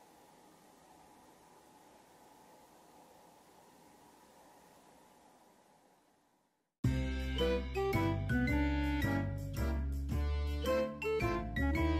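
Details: Near silence with a faint steady hum for about seven seconds, then bright, chiming music with a steady beat.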